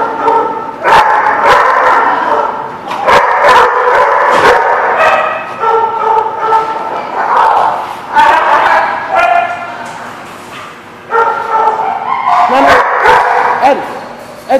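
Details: Several dogs at The Barking Lot on 6/5/17 keep up a loud, overlapping racket of high yips, drawn-out whines and quick bark bursts, rising and falling in waves with brief quieter gaps.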